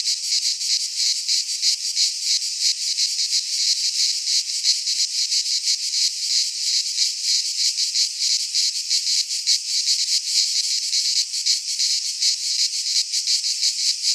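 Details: Greek pine forest in midsummer filled with cicada song: steady, piercing, electric-sounding buzz with quick flickering pulses, sustained without a break from start to finish.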